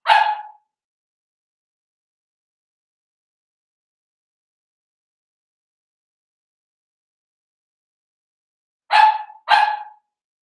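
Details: Cavalier King Charles Spaniel puppies, seven weeks old, in a home puppy pen. One sharp yip opens the clip, a long quiet pause follows, then two quick yips close together near the end.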